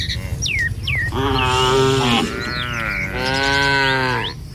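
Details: Tame cattle herd roaming a village in the morning; brief bird chirps open, then two long, steady, harmonic moos follow almost back to back over a low background rumble.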